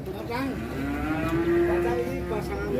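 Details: Angry cattle getting off a truck, giving a long steady low moo that holds its pitch for about two seconds, with crowd voices and vehicle rumble behind.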